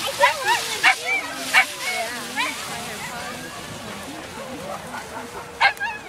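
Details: Husky giving odd, wavering vocal calls, a run of short rising and falling whines and yowls with bent pitch, interrupted by a few sharp sounds, over a steady background hiss.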